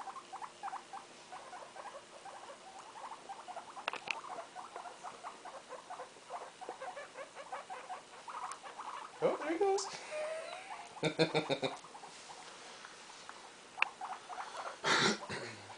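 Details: Guinea pig family with one-day-old young, kept indoors. Rapid, regular short pulsing chirps run steadily throughout, and a person's voice with handling noises breaks in near the middle and end.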